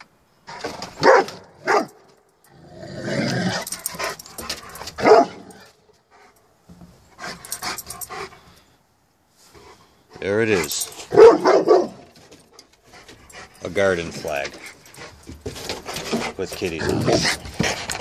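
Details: Rottweiler in a yard barking and growling at an unfamiliar garden flag printed with kittens. Short, harsh, broadband barks come in irregular bursts over about eighteen seconds, with a person talking to the dog between them.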